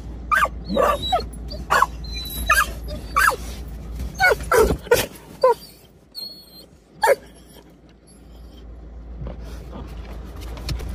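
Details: Several dogs, including a Labrador retriever, Springer Spaniel, Bernedoodle and Irish setter, bark excitedly on a freezing winter day in countryside near Colchester, Essex, UK, recognising their walk spot; sharp irregular barks and yips, a person speaking, vehicle hum.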